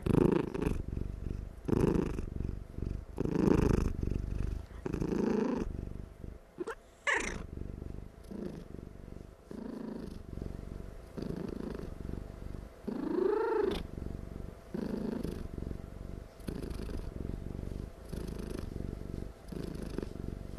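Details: Cat dozing and purring extremely loudly, unable to stop; low rumbling purr pulses repeating about every one and a half seconds, interrupted twice by a short rising-and-falling higher vocal sound.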